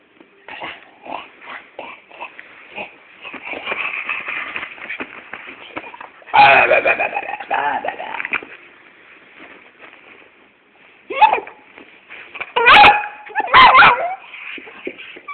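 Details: Two pet dogs, one little and one big, play fighting indoors: rough snarling growls and scuffling bursts, a loud tussle midway, then sharp yelping yips near the end.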